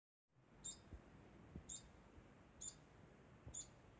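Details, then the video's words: Degu giving a constant sound: short high-pitched chirps, four in the span, roughly once a second, over quiet background hiss. "Degu makes constant sound"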